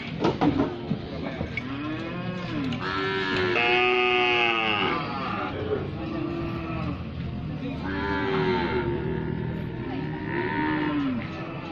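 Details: Brangus cattle mooing repeatedly: deep, rising-then-falling bellows about every two to three seconds, some long and resonant, others shorter, overlapping calls from several animals, with steady ambient noise.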